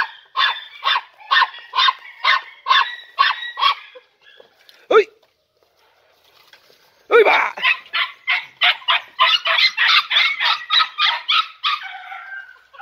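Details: Three-and-a-half-month-old Podenco Andaluz puppies from a litter of four, in a training enclosure for the first time. Steady strings of shrill barks, a near-silent gap, then a denser, faster run of overlapping yelps.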